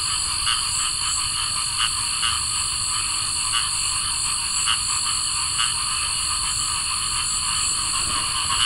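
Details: On a summer night, cricket frogs give sharp, clicking calls like pebbles tapped together over a steady high insect drone.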